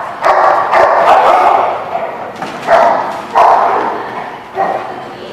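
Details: Barking dogs at The Barking Lot on 12/05/16, giving dense, rough barks in four or five loud bursts roughly a second apart, with voices mixed into the background.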